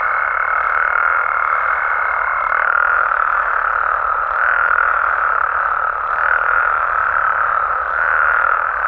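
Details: Frogs and toads in Mexican habitats at night fill the air with a continuous murmuring chorus; a thin high tone holds for the first few seconds, then stops while the croaking carries on.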